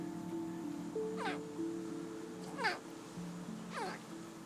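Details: A baby crocodile, about 20 cm long, gives its alarm call: three short, powerful chirps sweeping sharply downward, roughly one every 1.3 seconds, made by tightly contracting its chest muscles. Soft sustained music plays underneath.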